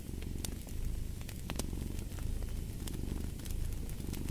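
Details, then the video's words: Cat's purr rumbles low and even, rising and falling in roughly one-second breathing cycles, while a fireplace crackles and pops sharply throughout. "Fall asleep to the Purring of a Cat"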